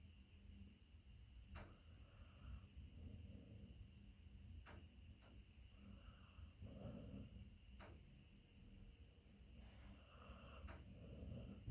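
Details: Max, a beagle asleep on a person's leg during naptime, snoring loudly as he moves from snoring into a dreaming state; soft, low rasping snores swell in slow breaths every few seconds, with faint clicks and a quiet room hum.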